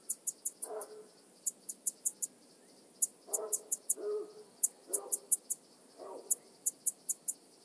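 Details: Alpine saw bush-cricket (Barbitistes obtusus) near Brixen, Italy, on 11 September 2022, picked up with an ultrasound detector. Very high, short ticking pulses come in bursts of three to five, repeating roughly every one and a half seconds, with soft lower rustly sounds between.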